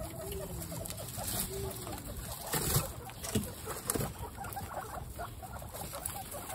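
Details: Guinea pigs, including baby guinea pigs Snow, Pistachio and Pumpkin, at a first meeting in a home group of 29 pets; soft low arched cooing notes repeat through the first two seconds, followed by rustling, clicks and low rumbling.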